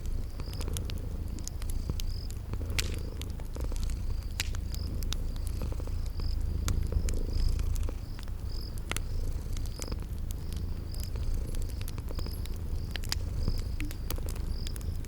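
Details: Sleeping kitties purring in a cozy spring-garden ambience: a steady low rumbling purr beneath sharp crackling fireplace pops, with short high cricket chirps repeating about twice a second throughout.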